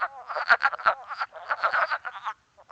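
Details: Wood frog chorus in Québec played during an amphibian monitoring training, described as sounding like a duck: rapid clucking, quacking chuckles overlapping in a dense burst, then a brief pause.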